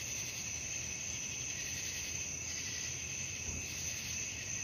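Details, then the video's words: Short stretch of nighttime cricket chorus: constant high, metallic trilling in stacked bands with a faint low rumble beneath. "suara jangkrik malam"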